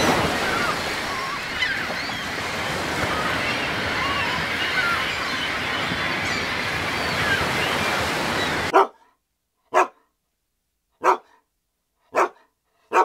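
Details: The youngest of three Alaskan Malamutes, a male who loves rock pooling by the sea, gives five short, sharp barks about a second apart over the steady roar of surf.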